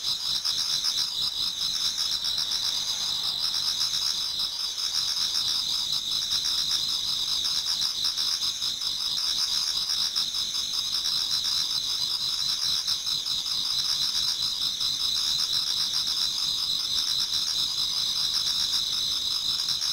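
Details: Toward dawn in autumn, numerous insects sing in a Japanese garden: an unbroken high trilling wall of sound with a softer rhythmic chirping layer pulsing beneath it over twenty seconds.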